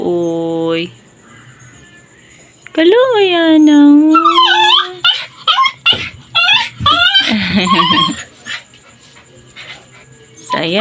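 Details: Leashed Labrador dog, crying and seeming angry as it strains to get free so it can play; a long rising-then-falling whine, followed by a rapid run of short sharp yips and whimpers, with a person talking nearby.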